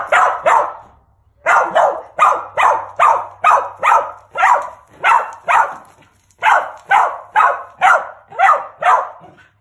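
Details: Bob, a male mountain feist squirrel dog born August 2017, barks in a fast run of sharp, loud barks, about two per second, with a short break after the opening pair.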